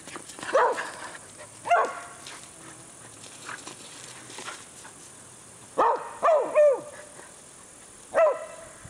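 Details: Whippets barking on first meeting a horse; a pair of yelping barks early, then a quick burst of three and a final single bark near the end, with quiet gaps between.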